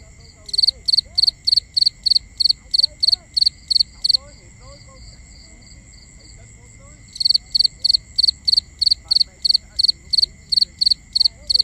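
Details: Night crickets in a binaural ambience: quick high chirps repeated about three a second, pausing for some three seconds before starting again, with faint soft whistles low in the background and a constant thin drone.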